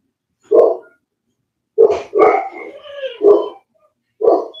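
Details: Cane Corso (Italian Mastiff) from a breeder's pack near Nashville, Tennessee, giving short deep barks, a single one then a quick run of three with a whining rising tail between, and a final bark after a pause; indoors, no other sounds.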